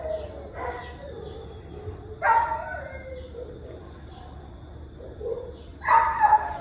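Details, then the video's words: Ginger, a shelter dog at West Valley animal shelter asking visitors for attention, gives three separated whimpering whines, each a brief tonal rise with a falling tail, with soft background noise between. "Adorable Dog in Shelter House Asking For Attention"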